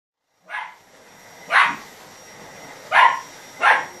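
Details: A Lhasa Apso that dislikes the vacuum cleaner barks sharply in four short, irregular bursts over a faint steady hum.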